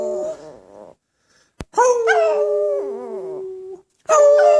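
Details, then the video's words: Chihuahua singing along with its owner: a soft wavering tone, then a pause, then a strong harmonic howl that rises briefly and settles into a long steady note before dropping away. A fresh loud howl begins near the end. "Zingende hond / Singing dog"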